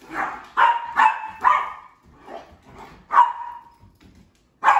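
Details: Sheprador female in play with her two fellow family dogs, giving rapid, insistent barks, four in quick succession, then softer grumbling huffs, another ringing bark and a final sharp one.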